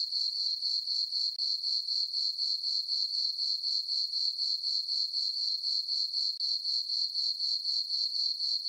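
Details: Night chorus of crickets in a moonlit summer farm meadow: high, ringing chirps in an even pulse of about four per second, continuous apart from two tiny breaks, otherwise quiet.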